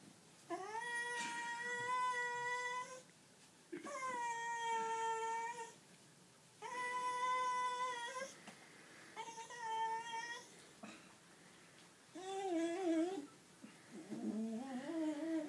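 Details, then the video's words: Golden cocker spaniel Nelly voices displeasure while towelled dry after swimming in a river. Long, steady, nasal whines last two to three seconds each, repeating with brief gaps, ending in wobbling, quavering yowls inside a small room. "Nelly's displeased with towel drying sound effects!"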